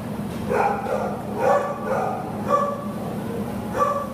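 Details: Buddy, a Labrador Retriever up for adoption, gives five short barks spaced about a second apart over a steady low hum.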